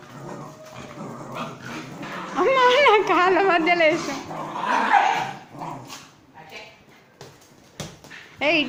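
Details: Pomeranian dog named Rikki, a pet, during playtime indoors: a loud wavering, whining grumble with rising and falling pitch lasting about a second and a half, then softer yips, while a person talks in Telugu throughout.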